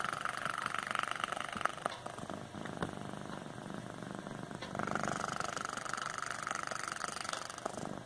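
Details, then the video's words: Pet cat named Cooper snoring while asleep indoors: soft, breathy, rasping noise in two long drawn-out breaths, the first fading out after about two and a half seconds and the second swelling again near the five-second mark, with faint room hum. "Cooper snoring"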